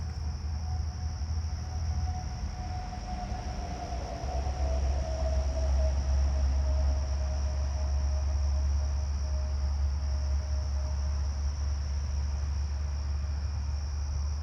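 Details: A Carolina ground cricket singing in a garden with dense ground cover on 7/29 gives a high, thin, steady buzzing trill over a deep background rumble.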